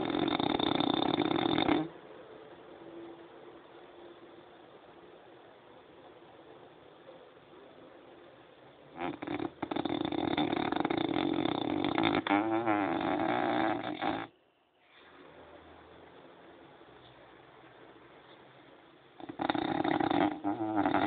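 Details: Hearty snoring from a French Bulldog: loud, rasping breaths repeat in bursts of several seconds, with a stuttering rattle near twelve seconds and quieter gaps of soft breathing between them.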